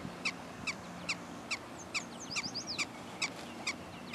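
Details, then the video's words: Prairie dogs in unedited footage, giving sharp, chirpy barks repeated steadily about twice per second, each short note with bright overtones; faint twittering bird notes flit in the background midway. "Prairie dogs"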